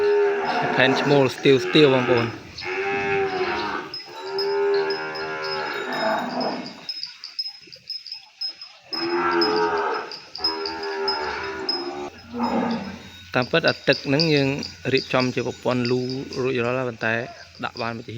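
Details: Calf separated from its mother and kept from her side, crying for her across the cattle pen: long drawn-out, wavering moos in several bouts, later breaking into shorter, rapid cries, with a man talking at times.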